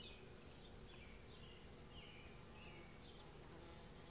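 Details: Bees buzzing around rhododendron flowers on 18 May 2020: a low, steady droning hum lies under the whole stretch, while faint, short bird chirps flicker above it.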